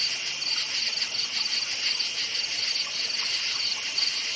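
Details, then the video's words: Crickets chirping at night in a forest: a dense, steady high-pitched chorus with bright chirp pulses repeating about three times a second over a continuous shrill hum. No other sounds stand out. "NIGHT FOREST CRICKETS CHIRPING SOUND"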